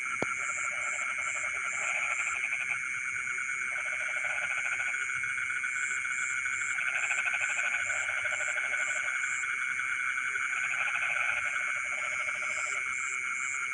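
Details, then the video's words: In rice fields at night, frogs call in short, grating, pulsed bursts, about five of them spaced a few seconds apart, beneath continuous high insect buzzing, with one sharp click near the start. "the sound of frogs singing in the rice fields in the middle of the night"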